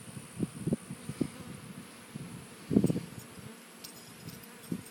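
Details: Bees at hummingbird feeders, a low droning buzz in short bursts rising and fading as insects pass close, loudest near the three-second mark, over faint background hiss.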